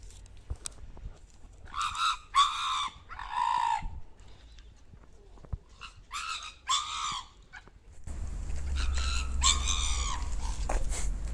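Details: Pit Bull recorded secretly on a sound recorder making funny sounds: several high, tonal whining yelps in two clusters, some falling at the end, with quiet gaps between and a steady rushing background noise over the last few seconds.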